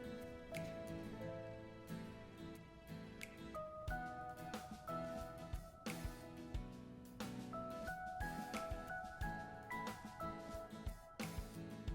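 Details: Soft, gentle instrumental music with plucked notes and keyboard chords runs the whole time, with no animal calls.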